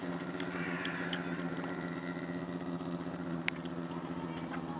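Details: A brown bear at Ranua Wildlife Park, Finland, possibly licking fish skin, makes a deep, continuous motor-like humming drone that throbs rapidly without a break; faint higher background sounds and a single sharp click.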